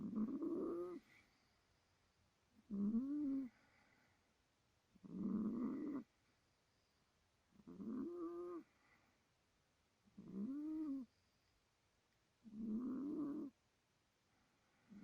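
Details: Pet cat sleeping and snoring heavily; rasping, low snores come in steady bursts of about a second, repeated roughly every two and a half seconds with quiet breaths between.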